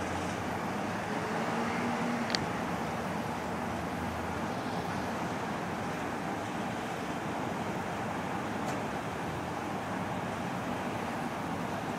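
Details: Continuous broadband traffic rumble with a brief faint click, and no animal sound heard.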